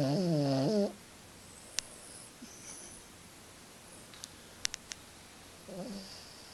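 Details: Peke-a-poo named Madden, a small dog and heavy sleeper, snoring loudly while asleep indoors; a harmonic rasping snore opens the clip and a softer one returns near the end, with quiet clicks between.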